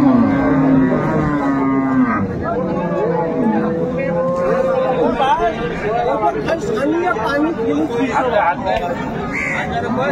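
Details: Improved-breed dairy cow with calf for sale at Ambari market, Dinajpur, Bangladesh, recorded 22 April 2024; a low, drawn-out moo opens the recording, then a higher sustained lowing, all under constant market chatter and men's voices.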